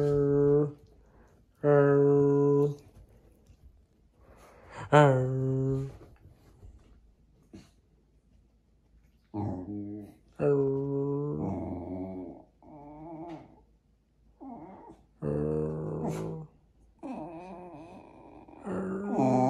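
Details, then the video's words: Jack Russell Terrier indoors, 'talking' to its owners: a series of drawn-out, harmonic moaning yowls and whines, each about a second long, shifting up and down in pitch with short pauses between them, and a faint human voice. "Jack Russell qui dialogue"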